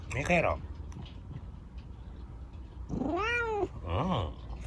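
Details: Indoors at bedtime, Chico the affectionate rescued kitten with an injured leg gets a scratching from dad and answers with a short meow, a long bowed meow rising then sliding down, and one brief final mew.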